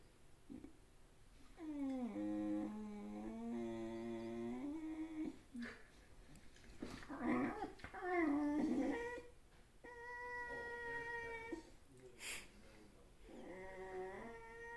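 A puppy makes drawn-out, wavering whines that slide up and down in pitch, with brief pauses between them.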